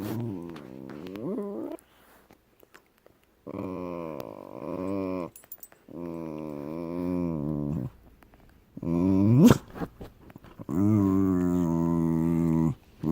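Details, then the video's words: Deaf dog relaxing indoors, giving a series of drawn-out, tonal groaning whines. Each bout lasts one to two and a half seconds and wavers in pitch, separated by short quiet pauses, with a brief sharp noise near the end. "Deaf Dog Making Noise While Relaxing"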